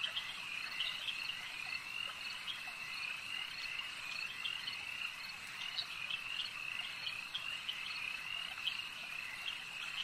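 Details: Lakeside frog chorus: countless high, rapid chirping calls overlap into a continuous shimmering wall of sound, with brighter individual notes popping out every second or so.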